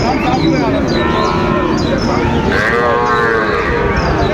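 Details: Sahiwal bull calves at Raniganj cattle market, Dinajpur, giving a drawn-out low moo that swells near the end, set against dense chatter of people bargaining.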